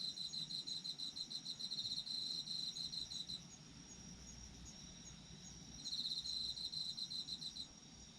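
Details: Night chorus of autumn insects: a shrill, rapidly pulsing trill runs for about three seconds, pauses, then resumes near the end, with a continuous high hum of other insects beneath.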